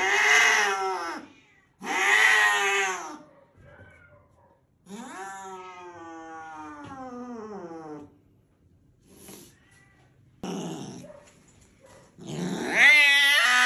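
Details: Angry cat with a very loud voice, giving long harsh drawn-out yowls in separate bursts, one sliding down in pitch, with short pauses between them and quiet speech in between.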